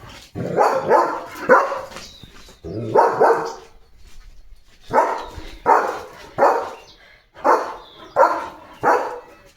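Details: German Shepherd named Leo guarding his house from the gate, day and night, gives bursts of deep barks: three quick ones, a pair, then a run of four or five, separated by brief pauses.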